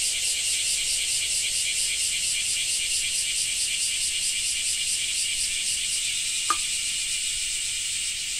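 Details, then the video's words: Cicada song recorded in Japan, a sustained shrill rattling buzz with rapid rhythmic pulsing, broken only by a brief sharp click late on. "Japan Rain Sound 5of3 - Cicada 3"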